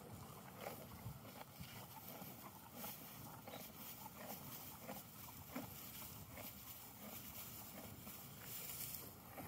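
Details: Horse chewing hay outdoors in a field; brisk, rhythmic crunching bites roughly twice a second, dry rustling between them, faint background hum.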